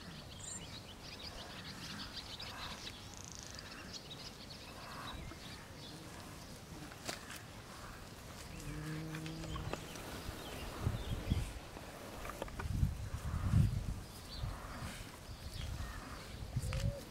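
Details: Traditional Hereford cattle herd of cows, first-time heifers, chunky calves and a bull: one short, low, harmonic moo near the middle, surrounded by steady rural background noise and later heavy low rumbling and thumps.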